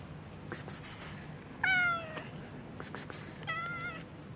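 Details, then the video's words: Two cats on the street, a tortoiseshell and a calico, with two separate short meows about two seconds apart, each a clear falling cry; light clicks and scuffing noises between the calls. "Zwei Katzen miauen auf der Straße"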